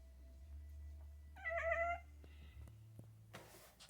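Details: Pumpkin the kitten reacting to squirrels outdoors with a brief wavering, trilled chatter of about half a second, while a person urges her to get the squirrel; low hum underneath and a rustling noise near the end.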